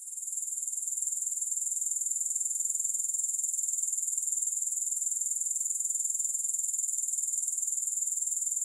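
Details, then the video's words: Continuous high-pitched pulsing from grasshoppers, a rapid regular ticking buzz repeated roughly four times per second that holds at an even loudness throughout, with no music or other animals. "Grass Hopper Sounds"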